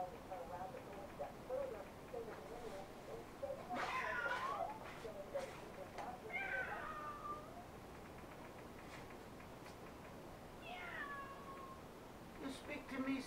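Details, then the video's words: Indoor house cat on a love seat, captured with a helmet cam, lets out three separate drawn meows several seconds apart, with a steady hiss and faint clicking sounds throughout. "meowing to me"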